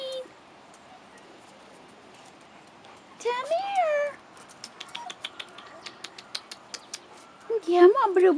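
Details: Two brief bouts of pitched, curving whines from 4.5-week-old Rottweiler puppies outside for the first time, separated by a quiet gap filled with light clicks, while a person calls them over.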